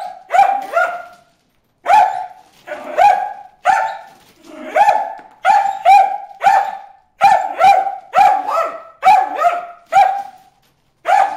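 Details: At a water hole, Bruce the dog barks at fish: insistent high barks, some single and some in rapid twos and threes, quickening into a dense series toward the end.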